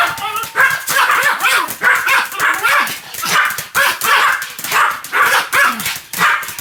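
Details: Pomeranian Sam keeps up continuous barking, high yapping barks in steady bursts roughly every second for over six seconds, each bark sharp and slightly whining.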